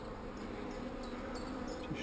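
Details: Honey bees, described as not so angry, at an opened hive while queen cells are destroyed; a low steady hum runs throughout, with faint short high chirps recurring in the background.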